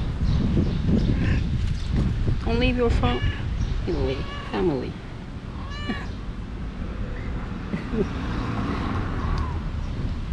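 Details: Mother cat and her four playful kittens while she refuses to nurse: a quick series of wavering meows in the middle seconds, stacked and bending in pitch, mixed with people talking and constant low background noise.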